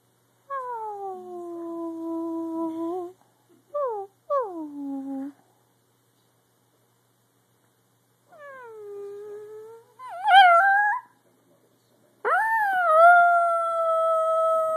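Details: Daphne, a pet Dachshund indoors, gives a series of drawn-out tonal howls: several falling wails with a gap, then a sharp rising yelp easing into a long, steady sustained howl near the end.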